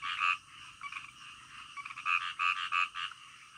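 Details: Frogs croaking in the middle of the night, a nearby frog giving loud, short, bright croaks in quick groups of two or three over a steady background chorus of other frogs.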